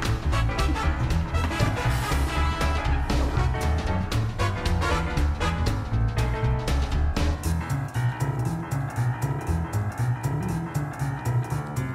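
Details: Swing-style jazz music with a steady, bouncy beat and guitar plays throughout, with no animal sound heard.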